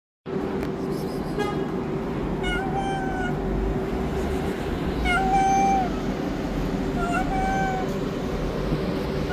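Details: Stray tabby cat living on the street asks for food with a series of rising-falling meows, about four calls spread over nine seconds, set against a constant low rumble of street noise.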